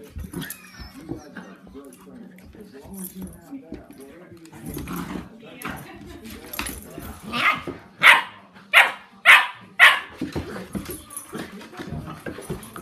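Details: Playful tussle between a 10-week-old puppy, Sandy, and seven-month-old Rozzie; soft growls and people talking at first, then a run of four loud, high yapping barks near the end.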